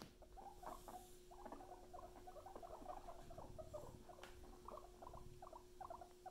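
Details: Soft, busy chattering from pet guinea pigs Luna and Chip, rapid mid-pitched bursts tumbling one after another without pause, a steady hum in the background and one sharp click.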